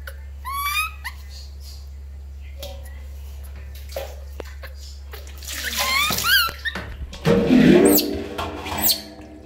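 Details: A baby monkey called Lori cries loudly at bath time, giving rising, shrill wails early and again midway, followed by splashing water and rubbing noises as it is washed.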